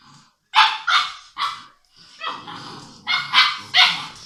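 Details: English Mastiff puppies, six weeks old, barking at play: a run of shrill, rasping yaps, several close together, with scuffling underneath.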